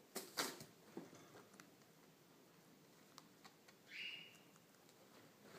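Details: Young guinea pigs, teenagers in action, apparently not in the mood for the male: soft rustling and tapping noises, then a single short, bright squeal with an overtone about four seconds in, fading out quickly.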